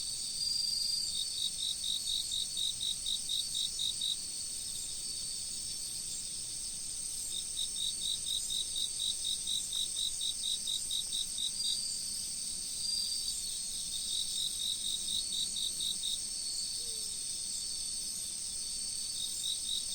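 Autumn insects chirp in rapid, high-pitched pulsed trills over a steady wash of flowing river water.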